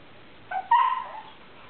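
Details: A Siberian Husky puppy rolling around on the floor gives a short, whiny yelp that rises and then bends downward; he makes these weird noises regularly, even while sleeping.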